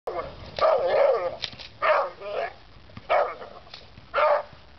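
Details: An American Pit Bull Terrier in protection training gives loud, harsh barks in bursts, about four roughly spaced volleys over five seconds, with some faint human voice in the background.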